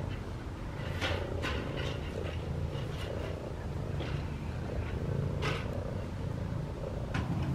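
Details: Cat in a yard, purring while being petted outdoors during Christmas light hanging; continuous deep, pulsing purr under repeated brushing and rustling sounds from hands stroking its fur, with low background rumble.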